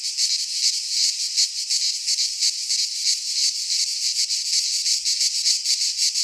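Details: Midsummer cicada chorus recorded in Greek pine woods: a continuous shrill, hissing drone with quick rhythmic throbbing, about three beats a second, no birds or voices heard.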